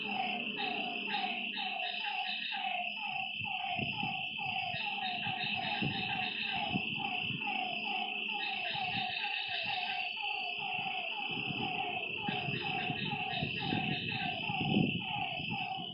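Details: Night frog chorus at a lakeside, many overlapping callers giving quick falling notes in rapid succession, backed by a constant shrill hum and faint low rustling.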